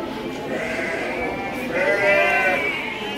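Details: Garut sheep at Andir livestock market in Bayongbong, Garut, bleating in a wavering, drawn-out voice twice, second bleat rising higher, while men talk nearby about the animals' wool and age.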